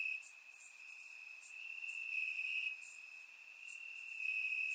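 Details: Crickets in grass on a warm Bulgarian summer night, surround-miked: an almost continuous piercing trill runs throughout, accompanied by quick, very high chirps repeated several times a second from neighbouring insects.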